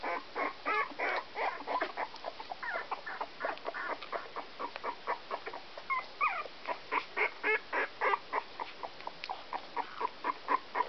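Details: Young Whoodle puppies, Whippet x Miniature Poodle crosses aged 16 days, give short breathy squeaks in a steady run, roughly four per second, with a few thin rising whines mixed in.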